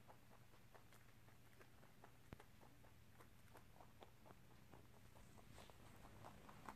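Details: Pet rabbit chewing corn and rice snacks indoors; a steady run of faint, quick crunching clicks, low and soft throughout, over a low background hum.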